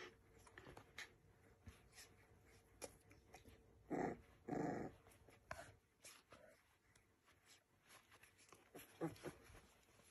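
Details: English bull terrier giving two short, rough growls close together around the middle, then quieter snuffles and faint whimpering sounds in a small indoor room.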